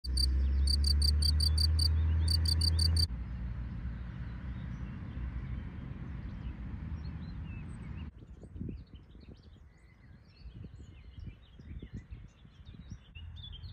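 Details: A field cricket heard on a bike ride gives bright, high, shrill trilled chirps in quick, evenly spaced pulses, under heavy wind rumble, with a few faint bird notes near the end.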